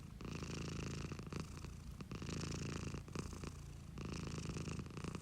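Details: Purring house cat, the owner's own animal, heard as a throbbing low drone in alternating inhale and exhale phases roughly every second, with short gaps between breaths.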